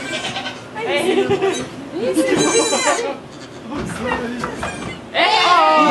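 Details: At a Quebec sugar shack during the birth of two baby goats, a goat gives a quavering bleat, then a louder, rising one near the end, amid French speech from onlookers.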